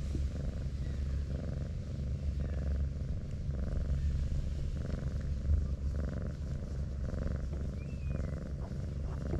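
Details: Brown tabby cat purring while being stroked, curling its body up like an armadillo; a steady low rumble with soft pulses repeating about twice a second, plus faint rustling of fur and handling.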